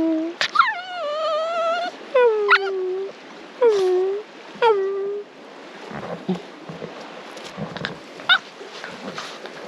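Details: Jess, a four-and-a-half-month-old female Cavalier King Charles Spaniel, out in the Buckland Valley or the park at Bright, Northeast Victoria, Australia. She gives about four drawn-out, tonal, falling yelps over five seconds, then fainter sounds over a steady rush of stream water.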